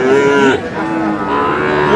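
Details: At a cattle market in Dinajpur, Bangladesh, Sahiwal bull calves low with a sustained moo that drops slightly and then fades into a longer, softer second call, with market bustle behind.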